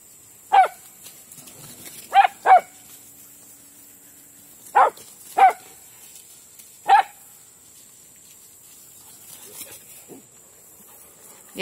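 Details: Several dogs playing together in a big yard, one giving loud sharp single barks, six in the opening seven seconds, with quieter yips afterward and a steady high background hiss.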